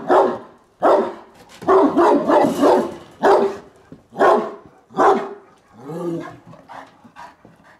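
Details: Bucovina Shepherd Dog, recorded in Horodnic de Sus on 30 September 2017, giving loud deep barks in an irregular series, some single and some in quick doubles and triples, ending in softer lower woofs.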